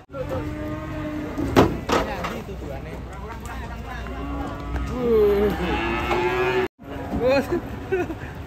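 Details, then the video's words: Cattle among a group of cows running loose and raging; long, steady, low moos with sloping tails over a crowd and voice background, broken by a short sharp knock and a brief gap near the end. "Kumpulan sapi ngamuk lepas"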